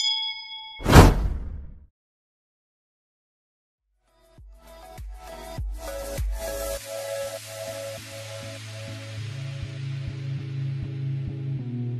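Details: A ringing chime, a silent gap, then synthesized music with rhythmic hits and sustained bass; no cat voice.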